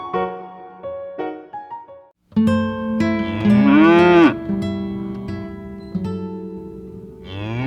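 A cow gives a long, drawn-out moo that swells and falls in pitch, after a few seconds of light plucked music that carries on softly underneath.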